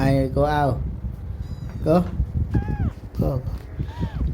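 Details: Cat meowing: a run of short arched and falling meows, a few drawn out, spread over four seconds, while a person talks over them.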